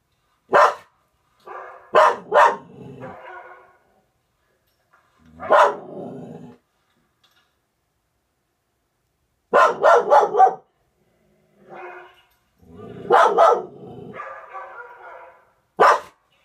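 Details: Pet dog of a household with a Norwegian Elkhound and a German Spitz, indoors, barking overexcitedly at a dog on a television screen; sharp barks in clusters of one to four separated by pauses, trailing into rough whining sounds.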